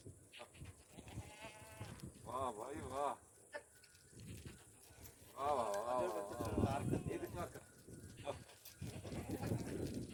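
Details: Goats at noon among herds of goats, sheep, cattle and donkeys gathered at the Aapak water spring; wavering, quavering bleats in two bursts, with human voices talking alongside and a steady high background hiss.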